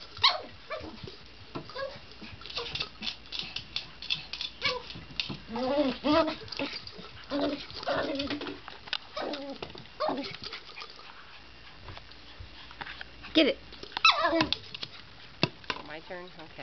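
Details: Excited pet poodle playing with a favorite Jolly ball indoors, his happy noises coming as bursts of squeaky, bending whines and short whimpers, mixed with knocks and clatter from the ball and furniture, then quieter gaps.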